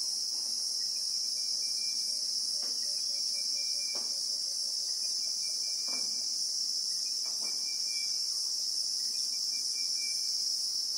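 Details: Christmas beetle (Anoplognathus) in the South African bushveld, recorded in real time: a steady, shrill, high-pitched drone runs unbroken throughout, with faint thin whistled notes repeating at intervals and soft low knocks underneath.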